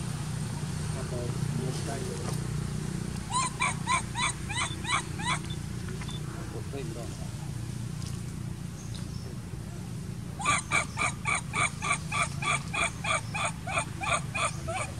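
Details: Baby monkey named Sovanna crying nonstop while looking for her human owner; short repeated squeaky harmonic cries in two bursts, about four per second, with a steady low rumble underneath.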